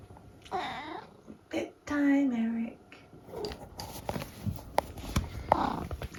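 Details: Eric, a talkative 14-year-old tabby cat at home in the UK, gives drawn-out tonal meows, one steady and held, mixed with soft chirps and clicks in a quiet small room, with a person's voice nearby.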